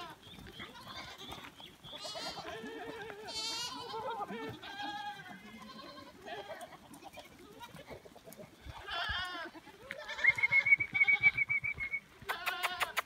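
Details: Goats in the Dominican Republic, being let loose, give a rapid series of overlapping bleats from several animals, tremulous and rising, with brief high chirps and a sustained whistle-like tone near the end.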